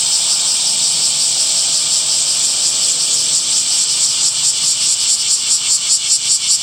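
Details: Summer cicada chorus in trees: a shrill, continuous buzz that begins smooth and turns into a faint rapid throbbing toward the end, about two to three pulses each second.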